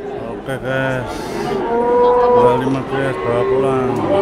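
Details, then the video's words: Cattle, a cow with her calf at the Blora animal market, lowing in long harmonic moos that rise and fall, several overlapping calls across four seconds, with market crowd chatter and background music. "SAPI KUSUS MBOK ANAK II PASAR HEWAN BLORA"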